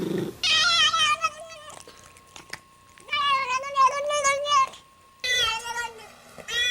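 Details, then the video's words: Domestic cat giving loud, drawn-out meows in three long bouts, each wavering and rising and falling in pitch, with a steady faint hum in a small indoor space. "14 Weird Sounds Cats Make"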